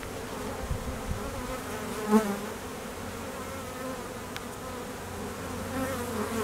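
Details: Busy apiary in peak summer nectar flow with foraging honey bees and drones on midday mating flights: a continuous low humming drone of many bees, one closer bee briefly sweeping past with a louder, rising buzz midway.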